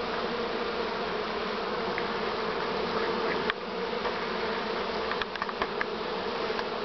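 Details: A Western honey bee (Apis mellifera) swarm, recorded 6 September 2019, makes a dense, steady buzzing drone with a few light knocks.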